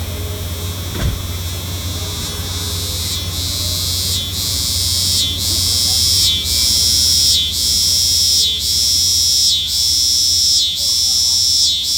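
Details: Cicada song starting as a softer, hazier buzz with a low background hum. It grows into a loud shrill drone broken by short dips roughly every second, with a clearer whistled tone inside the buzz later on.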